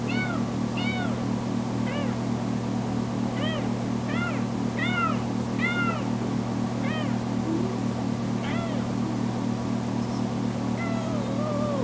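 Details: Foster kitten Tamera, just back from being spayed, cries loudly whenever left alone; rapid series of arched, rising-falling meows, several per second at times, over a constant low droning hum indoors.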